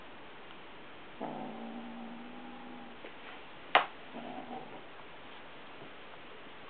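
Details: Domestic cat carrying a dragonfly cat toy in its mouth, walking around and growling quietly the whole time though nobody tries to take it; a low, steady growl with a second shorter growl, broken by a sharp click.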